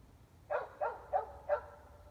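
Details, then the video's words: Distant dogs in Emmett, Gem County, Idaho, heard at 8:00 pm in February 2020 from 400 feet away, mostly barking from indoors; four short, evenly spaced barks within about one second, faint against low steady noise. "3+ Hours of Barking Dogs"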